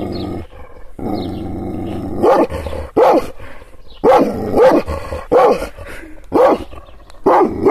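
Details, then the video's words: Provoked Kangal, an Anatolian shepherd dog, opens with a long low growl, then breaks into loud, harsh barks repeated about every second. "Yırtıcı kangal köpeği anadolu aslanı çoban köpeği kızgın köpek havlamasi urmesi sesleri"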